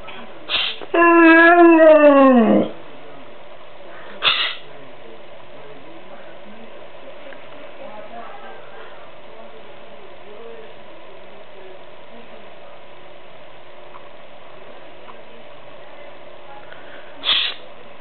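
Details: An 11-month-old white Siberian Husky 'arguing' with its owner: one wavering, warbling howl lasting about two seconds near the start, then mostly quiet room tone with brief hushing sounds from a person.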